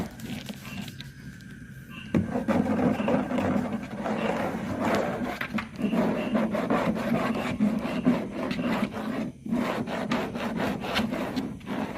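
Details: Steady scraping and rubbing, like wood being rasped, continues throughout with no animal voice.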